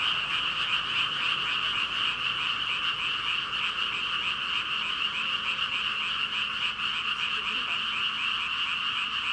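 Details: Thousands of frogs calling at once, around 5,000 as stated, form an unbroken ribbit chorus, rapid overlapping croaks blending into a constant high-pitched roar across the whole stretch.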